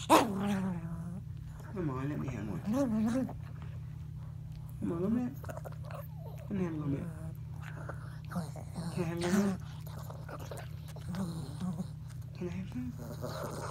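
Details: Pet Chihuahua in his nightly bedtime play routine, just playing, making funny 'talking' sounds: wavering, moaning growls that rise and fall in pitch, in bursts separated by short pauses, with a low steady hum underneath.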